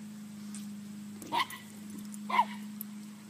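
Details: Chihuahua at play with a six-month-old cow: two brief, high yelps about a second apart over a constant low electrical-sounding hum, otherwise fairly quiet.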